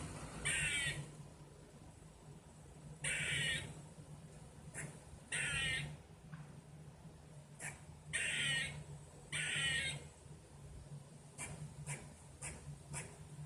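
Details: Outdoor squirrel calling repeatedly: a series of loud, grating, rasping bursts, each under a second long, coming every one to two and a half seconds, with scattered clicks and a constant low hum.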